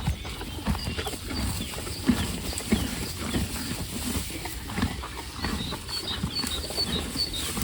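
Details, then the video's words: Horses eating hay, fed while waiting for the grass to improve: steady dry crunching and grinding, with rapid uneven bites about every half second. Small high bird chirps sound faintly in the background. "The relaxing sound of horses eating"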